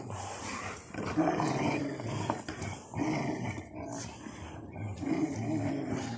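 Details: Rottweilers in a hobby garden tearing apart a tyre, giving low, rough, rumbling growls that swell and fade across six seconds, mixed with scuffling and chewing noises.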